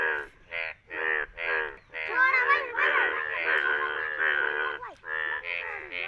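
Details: Indian bullfrogs, yellow-coloured, in rain in India, give loud, nasal, harmonic croaks in short bursts, then a longer overlapping run of calls.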